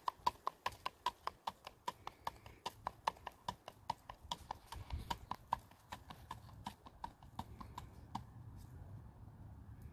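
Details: Standardbred gelding being ridden, crisp, evenly spaced hoof clicks ringing out about two to three per second, then stopping near the end over quiet low hum.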